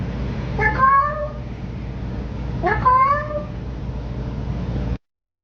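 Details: Talkative domestic cat gives two loud, drawn-out meows about two seconds apart, each sliding up and then holding level, with steady low room noise and the recording cutting off abruptly near the end.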